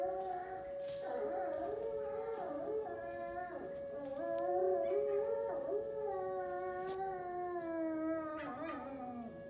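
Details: Kane, a high-content wolfdog, howls along with the first-Monday siren test in a kitchen; wavering drawn-out howls with stacked harmonics, dipping and rising, a steady siren drone underneath and small household clatter.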